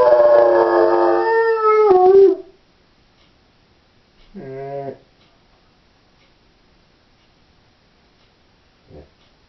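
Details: Howling of a female Doberman left alone at home, opening with a loud, harmonic-rich howl of about two seconds that drops at its end, then a short quieter wavering howl and a faint final whimper amid silence.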